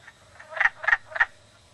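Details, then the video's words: Wood frog giving three short, hoarse, clucking croaks spaced about a third of a second apart. Fainter croaks sound before them over a quiet, low background. "wood frog"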